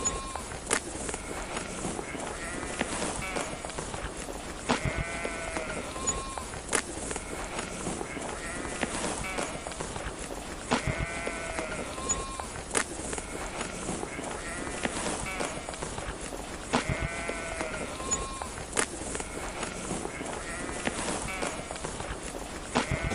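Sheep bleating: wavering, nasal baa calls repeated every few seconds over a steady rustling background.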